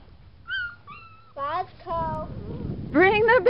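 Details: Several seven-week-old Boxer puppies let out clear high whines: two flat piping notes, then bent downward cries, and a closing burst of quick wavering yelps, with human speech mixed in.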